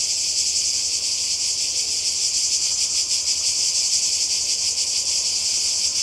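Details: Cicadas in Croatia beside the sea, summer 2020, give a loud, uniform high whirr beating quickly and evenly, the insects alone dominating.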